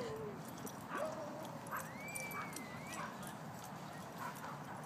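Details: Hades the Boxer-Ridgeback mix whines in long, thin tonal glides, one drawn-out whine rising and holding high before dropping, amid steady background hiss.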